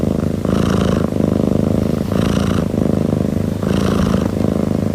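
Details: A single domestic cat purring steadily and soothingly: a low, rumbling vibration that swells with each breath about every 1.7 seconds, with soft airy rasps on the breaths.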